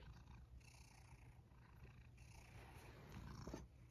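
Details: Around dinnertime, a soft, continuous low purr comes from Sacchan, a male rescued cat sharing Kazeno Kobo with an elderly woman, steady and unbroken in a quiet indoor room.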